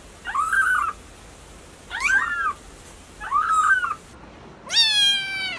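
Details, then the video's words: Three soft, slightly hoarse kitten mews spaced about every one and a half seconds, each rising then falling, followed by a clearer, higher, drawn-out meow at the end; light background hiss. "Kittens meow"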